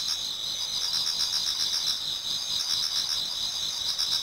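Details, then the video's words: Many autumn insects singing together in a Japanese garden towards dawn: dense high-pitched trilling in steady bands, with rapid pulses around four per second and faint fainter chirping beneath. "Autumn Insects voice Towards dawn"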